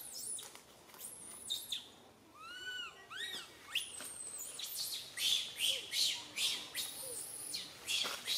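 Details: Baby monkey Santo crying loudly on a tree branch while mother Sara cannot care for him: high arched whistling cries with harmonics, then a run of loud shrill screams repeated roughly every half second toward the end.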